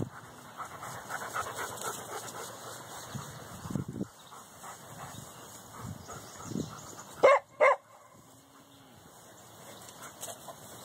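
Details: Dogs of the Canisolida crew on a morning walk react to cows on the other side of their fence. Two sharp, loud barks come in quick succession late on, after stretches of panting, rustling and footsteps.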